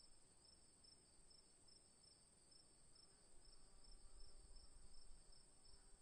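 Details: An afternoon chorus of crickets keeps up a continuous, high, shimmering trill, pulsing rapidly without pause over a soft, low rumble of background noise.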